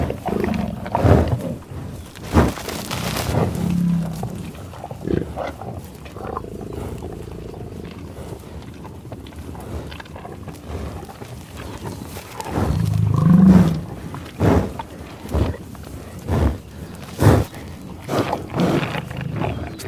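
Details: Bison in Oklahoma tallgrass prairie near Pawhuska, USA, field recorded with Schoeps microphone and 788T recorder: deep rumbling growl-like grunts in bursts, a long low grunt around thirteen seconds, sharp sniffs and snorts between, quiet open-air ambience.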